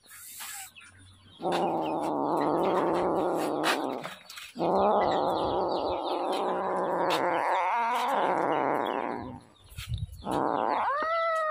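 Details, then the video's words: Prolonged, insistent wailing meows from a hungry kitten, two cries of several seconds each with a raspy, pulsing quality, then a short rising mew near the end. "Hungry little kitten"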